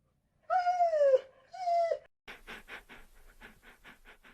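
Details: Dog gives two drawn-out, falling whines, then shifts to soft rapid panting breaths for the rest of the recording, heard indoors without other noise.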